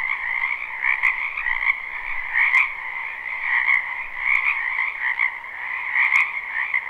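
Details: Frogs massed in a spring wetland behind a home, live recording: an unbroken buzzing chorus of overlapping croaks, swelling slightly every second or so, with a few sharp faint clicks.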